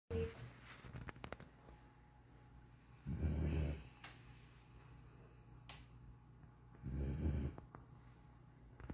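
A young German Shorthaired Pointer snores in deep, rumbling breaths spaced a few seconds apart.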